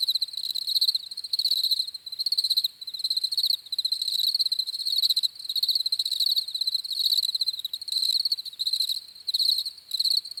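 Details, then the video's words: Steady cricket chorus: sharp, high pulsed chirps grouped in bursts about a second long with short gaps, multiple insects overlapping into an even, ringing texture. "CRICKETS CHIRPING SOUNDS"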